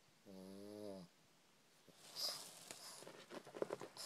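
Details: Pet pug Victor-Guillaume sleeps upside down in a closet indoors at night, May 2012, giving a single low, buzzing harmonic snore under a second long, followed by soft clicks and rustling.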